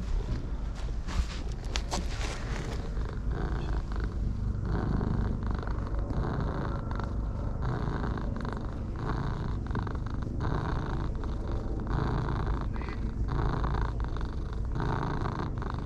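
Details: Orange tabby cats, a dark and a light one, purring contentedly while being stroked; a steady rumbling purr runs throughout under the rustle of hands on fur, with sharp clicks near the start.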